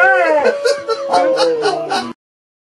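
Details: A female rescue Catahoula Leopard Dog, in her third training session learning to howl at the moon like a wolf, gives a wavering, tuneful howl that slides gently downward over two seconds.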